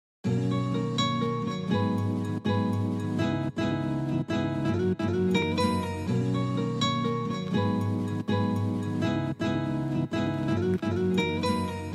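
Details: Harp-like plucked string music plays continuously with a café feel, and no cat vocalisation can be heard.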